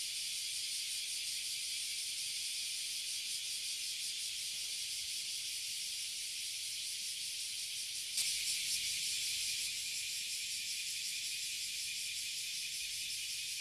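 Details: In Toyohashi City, Japan, a tree of Oily and Bear Cicadas (Abura Zemi, Kuma Zemi) keeps up a dense, high steady drone. A brief louder burst near eight seconds swells the buzz for a couple of seconds.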